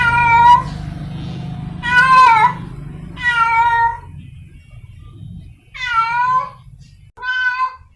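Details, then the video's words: Free-roaming cat in heat calling for a partner, giving drawn-out, wavering harmonic yowls, five calls with irregular gaps, some bending downward at the end, over low background hum. "Suara Kucing liar sedang birahi mencari pasangannya | The sound of a wild cat in heat"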